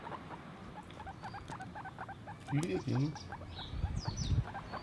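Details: Guinea pig uttering quick short squeaks in an irregular run, with a couple of louder, lower vocal bursts in the middle and soft rustling underneath.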